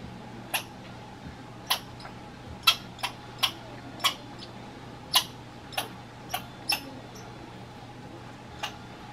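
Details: Grumpy American red squirrel encountered in Minnesota, producing sharp clicking chips spaced irregularly, roughly one every half second to second, about eleven in all, with a low constant hum in the background.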